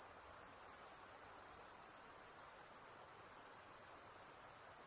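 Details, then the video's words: Night-time crickets keep up an unbroken, shrill, finely pulsed trill, a steady wall of high insect sound over faint background hiss, with nothing else clearly heard. "RELAXING SOUNDS - Crickets (Night)"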